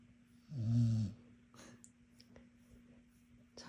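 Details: One deep, buzzy snore from a sleeping dog, lasting about half a second, then quiet room tone with a constant low hum and a few small taps.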